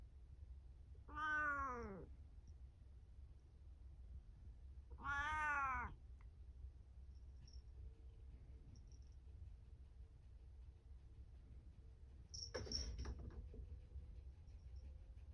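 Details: Momo-chan, a pet cat filmed at home around a cat tower on 17 April 2024, utters two similar harmonic meows about four seconds apart, each rising then dropping. A later brief clatter breaks the otherwise quiet indoor hum.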